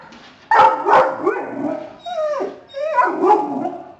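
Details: Dog giving a whining bark reserved for deer, warning after spotting a family of deer in the front yard: two sharp barks followed by drawn-out falling whines and a final bark.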